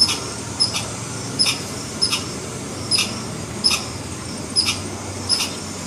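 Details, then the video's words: Repeated alarm call from a red squirrel: about nine crisp, high-pitched chips, roughly one every 0.6 to 0.8 seconds, above a low, constant background noise. "Red Squirrel Alarm Call"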